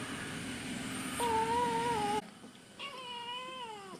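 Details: Kitten meowing during a chat at home: a short level meow over a steady low hum and a faint musical tone, then after a pause a second, longer meow that holds steady and drops sharply at the end.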